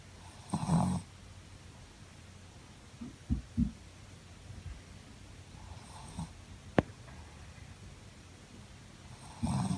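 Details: Shih Tzu Muku-chan asleep and snoring contentedly indoors: low, rough rasping snores arrive every few seconds, with one strong snore at the start, softer ones in between, another loud one at the end, and a brief click midway.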